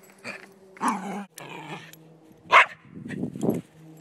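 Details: Male Silky Terrier playing soccer on a lazy Sunday in Truckee, California, guarding the ball like a defender: rough, growly barks and grumbling snarls in several bursts, with one sharp, higher yap near the middle.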